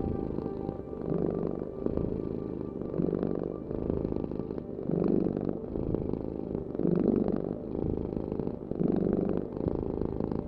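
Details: A cat's continuous low purr, rough and buzzing, pulsing louder about every two seconds as the animal breathes in and out; a soft hum runs underneath.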